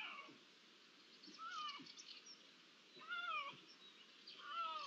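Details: Iberian lynx meowing, ambient sound from 16 June 2023 with perhaps one to three lynxes present: three quieter falling mews spaced roughly one and a half seconds apart against a steady hiss and soft background chirps.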